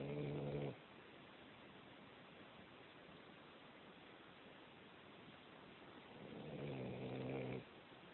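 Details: Sleeping cat snoring; two low, buzzy, rasping snores, one at the start and another about six seconds later, with soft breathy hiss between them.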